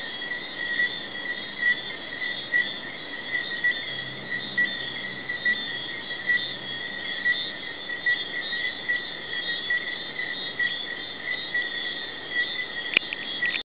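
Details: Chorus of Jamaican tree frogs at night in May 2008 at Hidden Paradise, Negril. A dense, even, high trilling fills the air throughout, with a sharp click near the end.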